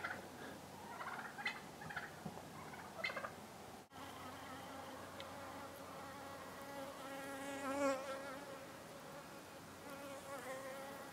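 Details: Western honey bees bring in the year's first notable pollen among snowdrops in early spring, February 4, 2018, humming a steady, low droning buzz rich in overtones that swells as one flies close.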